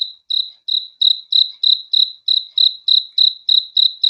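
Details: Cricket chirping at night for relaxing sleep: about a dozen short, high, buzzy chirps in quick even succession, roughly three each second, over silence.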